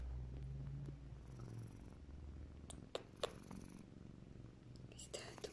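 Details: Held and petted house cat giving kisses to its owner and touching her face while purring: a deep, pulsing rumble fills the first seconds, then softens under handling noises, soft smacks and rustles.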